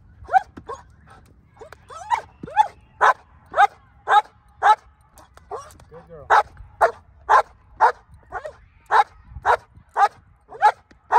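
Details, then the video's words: Female black German Shepherd barking on command in hold and bark training, Colorado, 37 days before an IGP1 trial; a long steady run of loud, harsh barks about twice per second, briefly interrupted, while a handler praises her. "How To Train Your Dog To Hold And Bark On Command"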